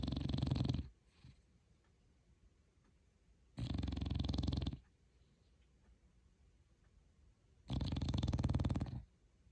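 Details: Sleeping pet dog snoring: three long, raspy rumbling breaths about every four seconds, each lasting around a second, with quiet pauses between them.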